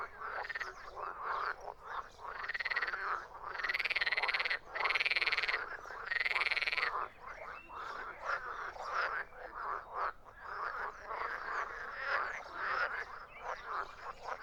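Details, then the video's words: Croaking frogs in a loud chorus, with several long, buzzy, higher trilled calls lasting about a second each standing out over the steady rasping background. "Frogs croaking"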